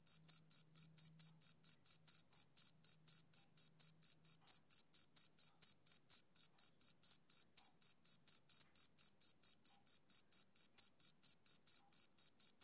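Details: Male cricket on a summer evening, chirping in a steady rhythm: short, high, clean pulses repeated about four times a second, evenly spaced with no pauses, and no other sounds in the background.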